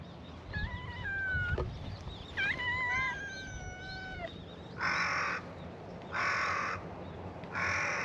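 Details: Cats at a gathering on a cat island greet a visitor in a chorus of meows: several overlapping, drawn-out harmonic meows in the first four seconds, then three loud broadband bursts about every 1.3 seconds.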